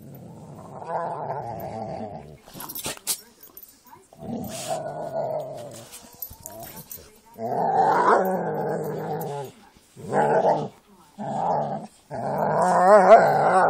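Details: Jack Russell and pit bulls playing together, giving bursts of low rumbling growls with harmonic bands, broken by short pauses and a few clicks and scuffles.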